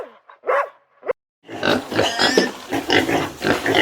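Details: Pig (Sus scrofa domesticus), grunts.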